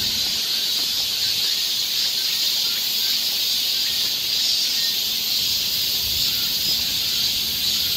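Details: Cicadas in a summer forest along a trail in Seoul, Korea: a dense, steady high-pitched buzzing drone that holds without pause across the whole stretch, with no other clear sounds.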